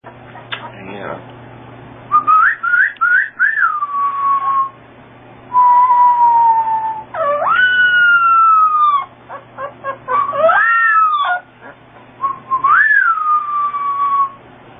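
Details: A small puppy tries to sing along, howling in high, wavering tones that rise and bend, with whistle-like notes between the cries.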